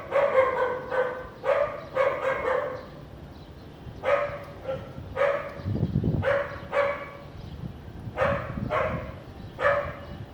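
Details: House dog in Vientiane, Laos, on a sunny afternoon with little clouds, 15 April 2021, giving repeated barks in pairs and triplets with short pauses, plus a brief low rumble midway.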